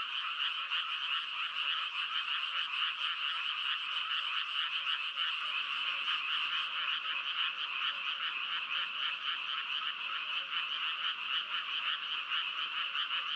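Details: Massed frogs croaking in a loud, even, high-pitched trilling chorus of quick pulses. The sound thins slightly partway through.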